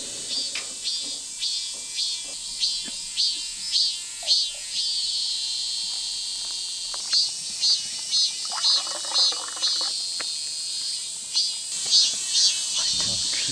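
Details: A cicada sings from the tree just in front of a forest campsite in Yecheon, Gyeongbuk, Korea, ear-splittingly loud on a hot summer morning. A shrill, steady buzz throbs in regular surges about twice per second, with occasional clatter of camp activity.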